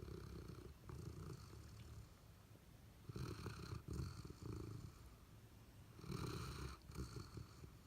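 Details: Sleeping pet dogs, Abundant Joy the Golden Retriever and Honey the Labrador Retriever, snoring and dreaming indoors: low, rumbling snores with noisy breath bursts recurring about every three seconds, softer breathing between them.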